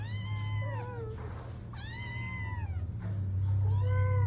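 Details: Persian cat meowing at home because it wants to go out: three drawn-out, rising-then-falling meows with rich harmonics, the middle one loudest, over a steady low electrical hum.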